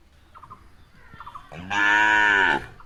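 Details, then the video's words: Cow in a grazing herd eating grass gives one short, loud, strained call of about one second with a rich stack of harmonics, preceded by faint brief bleat-like notes and quiet rustling. "Sound of Cows Eating Grass"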